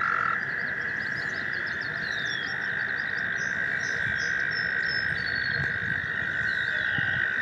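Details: Springtime chorus of American toads in a stream, seeking partners: unbroken high trills layered together, while birds twitter and whistle faintly above.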